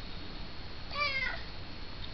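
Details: Jupiter, a male pet cat indoors, meows at his owner after coming by for rubs: a single short, slightly falling meow of under half a second over steady room hiss.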